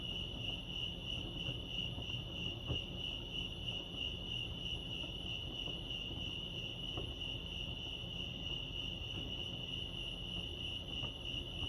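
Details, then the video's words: Crickets chirping at Lake Arrowhead, California: a steady, high, rapidly pulsing trill that runs unbroken through the whole recording with faint higher overtones, over a soft low background rumble. "Serenity sounds crickets chirping lake arrowhead"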